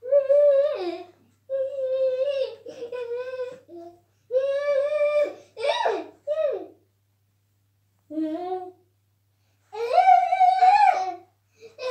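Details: A young child babbles, coos and whimpers in short voiced bursts in a small indoor room. A faint low hum runs underneath, and no animal sound is heard.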